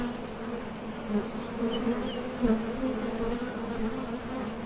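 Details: Honey bees at the entrance of a top bar hive, leaving and landing as they fly out to forage for nectar; a steady low drone with a strong hum band and its overtone, swelling briefly as single bees pass close.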